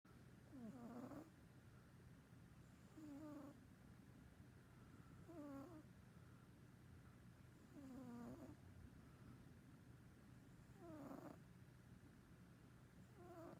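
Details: Domestic cat asleep indoors, filmed in early 2019, snoring softly: low rasping breaths repeat about every two and a half seconds, each ending in a faint squeaky whistle, over a steady low hum.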